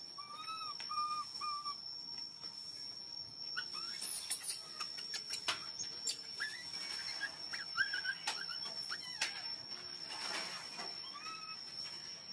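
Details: Hungry baby monkey crying loudly for milk: three quick repeated arched wails open the passage, followed by handling clatter, sharp clicks and scattered fainter cries, with a continuous high electronic tone throughout.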